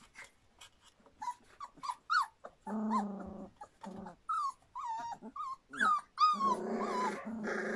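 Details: Young Standard Poodle puppies, a bit over three weeks old: soft high squeaks at first, then louder wavering whines and low buzzy grumbling cries, several pups overlapping toward the close.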